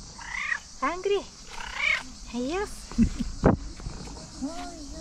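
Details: Cat at a tree trilling and meowing as if trying to tell something; a quick run of short rising-falling chirps and trills, then a few low knocks and thuds, with Dutch speech in the background.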